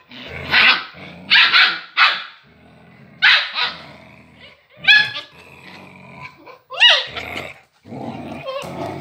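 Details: Scuffle between a grey agouti Husky and her puppy: a run of rough barks and growling, then high, rising whiny yips and squeals, closing with more snarls.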